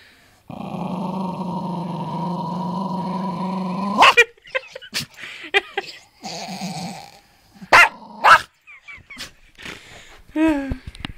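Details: Jack Russell Terrier cornered while devouring a squirrel it killed, recorded in 2009 on an old flip phone; a long low growl of about three and a half seconds breaks into sharp snarling barks and yelps, followed by shorter growls and snaps.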